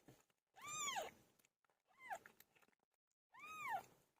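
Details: Pilo the pet cat, giving birth: three strong, wavering meows, the first long and sliding downward at the end, the second shorter, the third again drawn out.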